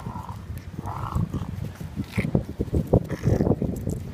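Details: A playful Boston Terrier puppy on Sydney harbour gives low, gravelly growls in short, choppy bursts mixed with snuffling, snorting huffs, the sounds rising and falling rapidly with a few higher whiny notes.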